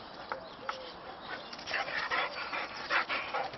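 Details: Two Boxer dogs play fighting with a neighbouring Boxer named Clyde in a snow-covered garden; rough, irregular growling and barking bursts cluster in the second half, with a person calling the dogs' names just before.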